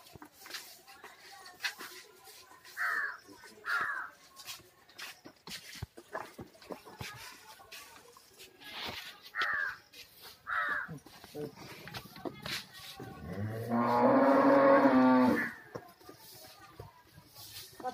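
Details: Young reddish Kangayam heifer with two teeth: several seconds of soft knocks and brief chirpy sounds, then a single strong drawn-out moo of roughly two and a half seconds near the end.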